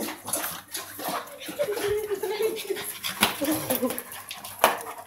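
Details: Dogo Argentino playing with a pit bull, a gentle giant, giving drawn-out whining growls with clattering sounds and Greek voices talking over the play.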